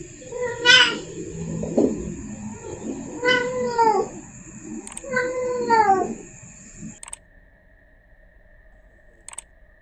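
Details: A female cat in heat calls for the male with three plaintive, downward-sliding yowls about every two and a half seconds, then near silence with a couple of faint clicks.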